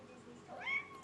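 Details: A chatty pet kitten gives one brief meow that slides up into a clear, high, steady tone lasting under half a second. It answers a woman who has just asked what it says. The room is otherwise quiet.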